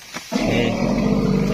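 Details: A wild Asian elephant in dense forest lets out a loud, sustained, resounding call that starts suddenly and holds steady, echoing through the woods, heard while handlers approach to lasso it.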